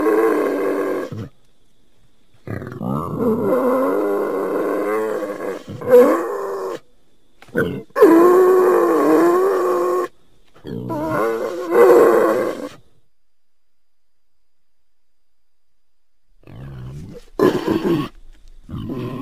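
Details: A Central European wild boar gives long, rough, voiced grunts and drawn-out squealing moans, broken by short silences.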